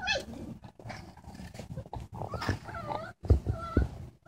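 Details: Great Dane puppies recorded on 9/12/2014, giving a string of short, high whining yelps and wavering squeals that rise and fall, with brief pauses between bursts and low thumping and rustling underneath.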